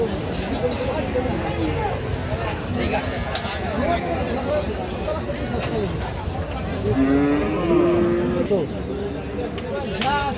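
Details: Cattle at a 2025 Qurbani cattle market: one drawn-out, low moo that rises and holds its pitch near the end, heard under steady crowd chatter, men's voices and market bustle.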